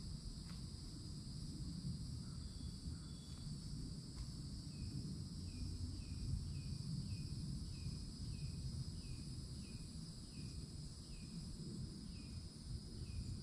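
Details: Cicadas loud at a Florida forest edge in summer, old oak tree nearby, keeping a constant shrill two-toned drone while a bird repeats short falling chirps about twice a second, over a low background rumble.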